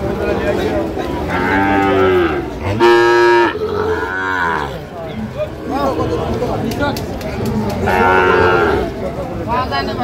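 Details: Sahiwal breed bull calf bought by a Dhaka farmer on 4 August 2025 at a cattle market: several loud, harmonic moos, one steady and drawn out, others swooping up and down, amid crowd chatter and the general din of the market.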